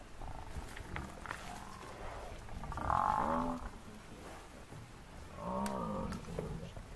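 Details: Massive African buffalo bull attacked by four male lions, giving distress calls: two drawn-out, harmonic moaning bellows about two and a half seconds apart, over rustling and low background noise.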